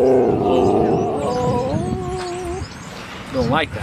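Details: At Seal Point Dog Park by San Francisco Bay on March 5, 2015, a dog on about his fourth visit gives a long, loud tonal whine that slides slowly downward, then a brief wavering yelp, with people talking nearby.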